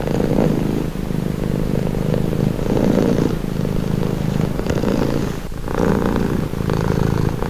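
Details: Cat purring in a long calming session, deep pulsing rumble rising and falling in roughly one-second inhale and exhale phases, broken by a brief soft click near the end.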